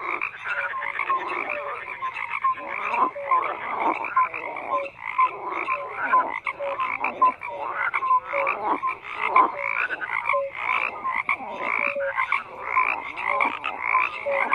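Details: A crowd of frogs calls at once, with rhythmic bursts of harsh croaking about every half second, bright short piping notes threaded between them, and a constant buzzing backdrop.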